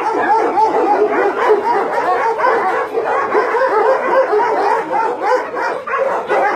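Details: Dogs kept on a meat farm and puppy mill in Nonsan, South Korea, January 2017, among some 150 Dobermans, Shar Peis, Chow Chows and Golden Retrievers; many animals bark and yip at once in a dense, unbroken din.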